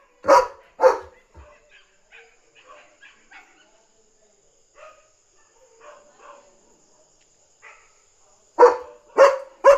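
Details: German Shepherd guarding at night, barking loudly to warn that another dog is outside and defend its territory. Two deep barks open, soft scattered yips follow, then three loud barks close. A steady high electronic whine runs throughout.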